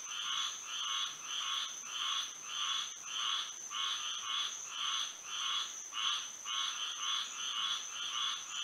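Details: Frogs singing at night under moonlight in Florida: a dense chorus of rasping, pulsed croaks repeated about twice per second in a steady rhythm, with a constant high insect whine running underneath.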